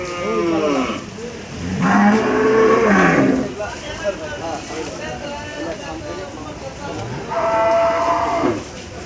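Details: Cattle at Gabtoli cattle market in Dhaka, Bangladesh, on 12 July 2024. Three loud, drawn-out lowing moos, each rich in harmonics and lasting about a second, separated by quieter stretches of crowd murmur and market bustle.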